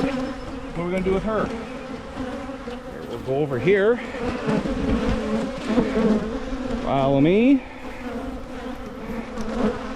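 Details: Low, steady hum of honey bees at Michigan hives during splitting to limit swarming, with several bees darting close past the microphone in sharp swooping buzzes.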